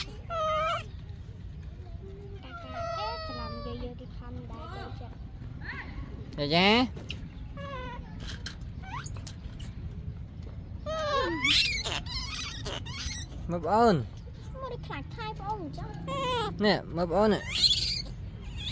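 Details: Yaya's baby monkey screaming for Yoyo's milk: repeated shrill, wavering screeches that rise and fall, some in quick bursts, over low steady background noise with human voices talking between the calls.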